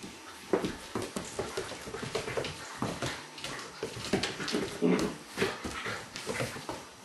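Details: Great Pyrenees males playing with a Kuvasz puppy: short, rough, low-pitched growling bursts come in quick irregular succession, mixed with scuffling thumps and clicks of bodies and paws.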